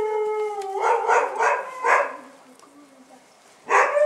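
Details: Bull Terrier puppies taken out for their first outing: a steady high whine breaking into a series of rough yelps, a quieter stretch, then another sharp yelp.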